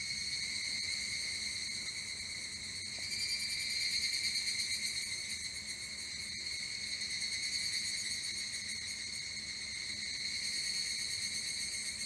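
Evening cicadas fill the air with a steady, high, shimmering trill that swells and fades.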